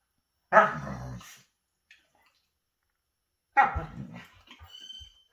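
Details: Alaskan Malamutes play fighting, wrestling face to face: two short, loud, rough barks about three seconds apart, the second followed by a thin high whine, with silence between.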